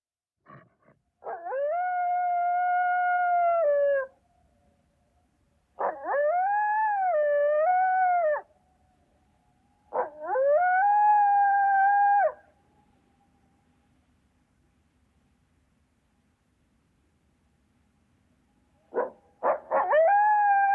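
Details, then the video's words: Coyote giving three long, clear, wavering howls of about three seconds each, separated by pauses, followed near the end by short sharp yips and the start of another howl. "FUNNY COYOTE NATURAL SOUNDS"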